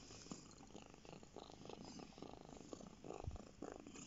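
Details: Pet cat lying on a lap and purring, a quiet rattling hum made of rapid regular pulses, swelling slightly with each breath, with faint room hiss underneath.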